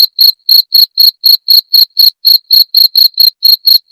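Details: Sharp, ringing cricket chirps meant to scare off rats, each short pulse clearly separated, about four each second in an even rhythm, nothing else audible.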